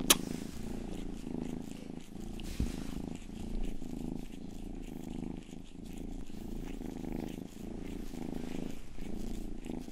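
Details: Youngest pet cat Rang-i purrs steadily during ASMR ear grooming at a binaural microphone, the rumble swelling and fading in soft waves with a sharp click at the start and faint licking sounds.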